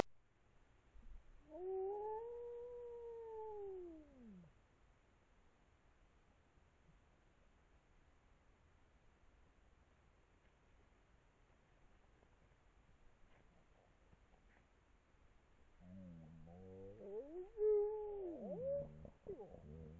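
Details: Wolf pack howling in Poland: a single long, smooth howl rises and then falls over about three seconds, a quiet gap follows, then several overlapping wavering howls join together toward the end. Faint background hiss throughout.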